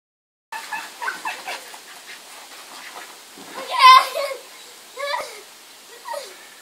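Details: Max, a 4-month-old male Malinois puppy, throws a fit while a girl puts her head under water in a small pool; high, wavering whines and yelps come in short bursts, the loudest near the middle, with splashing nearby.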